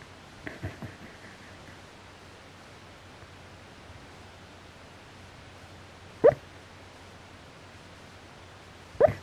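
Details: Dog snoring loudly after forcing itself into a cramped spot; a few faint soft rasps early on, then two sharp, squeaky nasal snorts about three seconds apart in a quiet room.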